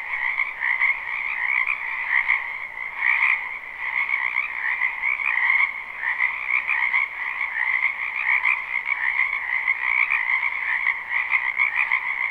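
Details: Frogs croaking in a spring wetland behind a house, recorded live without looping: a dense, even chorus of many overlapping trilled calls, high and mid-pitched layers pulsing steadily with no other clear sounds.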